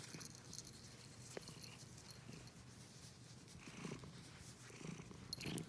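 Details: Domestic cat purring: a steady low rumble throughout, with soft breathy swells near four and five seconds and faint higher rustling noises above.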